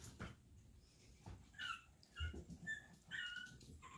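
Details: Daisy's Chihuahua puppies, the two younger ones kept in while their littermates escaped, indoors: several short high whimpers and squeaky yips spaced about half a second apart, with soft bumping and rustling underneath.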